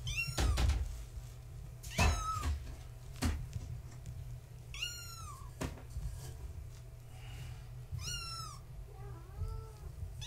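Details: Young kittens of tabby mother Gaia, born March 14, 2017, at bedtime in a small room: repeated high descending mews roughly every one to three seconds, mixed with bumps and knocks of play, softer wavering mews at the end.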